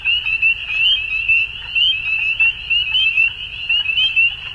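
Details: Frogs calling at dusk in a dense chorus: a continuous high trilling band with overlapping pulsed notes that swell and fade roughly once a second, with a faint low rumble underneath.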